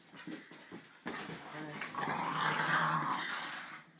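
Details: Staffordshire Bull Terrier puppies, two of them, at play: soft snuffles and scuffles, then a sustained whining growl that swells and holds for over two seconds before fading, with a voice partly mixed in.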